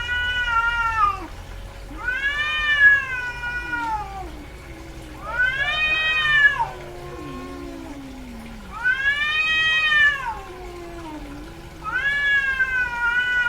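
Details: Female house cat in heat yowling: five loud, drawn-out arched cries roughly every two to four seconds, each rising then falling, with softer low moans between them.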